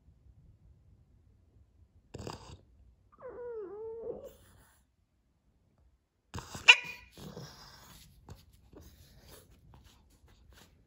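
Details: Boston Terrier pouting and crying because he is not the centre of attention while his owner drinks coffee; one wavering, wobbling whine in the middle, then a burst of rustling, sharp noises and snuffling, with long quiet gaps.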